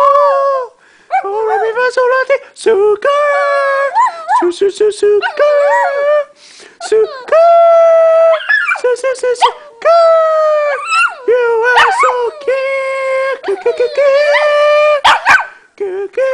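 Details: Shih Tzu. A Shih Tzu gives a run of sustained, tuneful howls, each note held for about a second before bending up or down. Brief gaps break the howling into a sing-song series, heard indoors.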